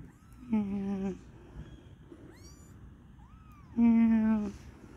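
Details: Stray kitten in a backyard at its first contact with people, giving two drawn-out harmonic meows about three seconds apart, each lasting under a second, with faint bird chirps in between.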